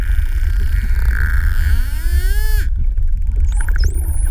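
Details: Spotted dolphins near Calheta, Madeira, scanning a GoPro with echolocation clicks: a drawn-out rising whistle ends in a quick dip, followed by a dense click buzz and sharp upward whistles, all over low water rumble.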